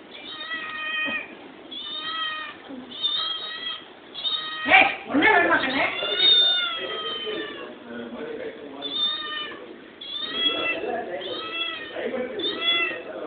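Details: A hungry kitten meows insistently, giving thin, plaintive cries about twice every second with small pitch slides. Voices chatter in Tamil underneath.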